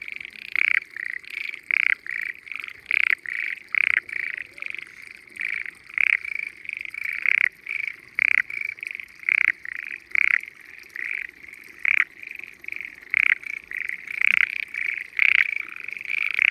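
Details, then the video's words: Frogs singing loudly from the water of mountainside rice fields in Japan on a spring day; many overlapping pulsed croaks in quick succession, a constant trill beneath, growing busier toward the end. "Spring Frogs Singing in Peaceful Rice Fields"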